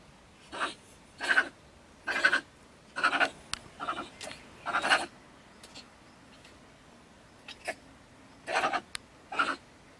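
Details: Female stone marten in Germany, living in a woodpile beside a shed, ranting and raving on an evening near 10 pm. Rapid, sneeze-like explosive spits repeat roughly once a second in irregular clusters.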